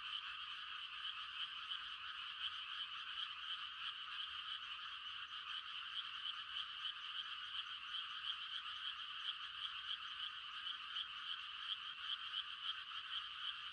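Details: A countryside night chorus of frogs giving mating calls during rice-planting season: a steady wall of shrill, fast-pulsing trills from many callers, constant in volume throughout.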